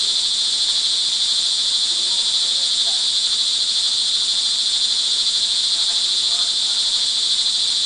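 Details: Crickets recorded in the rain in the early evening of June 24, 2011, at Montalban, Rizal, Philippines: a dense, steady, high-pitched shrill chorus that never pauses, over a soft wash of rainfall.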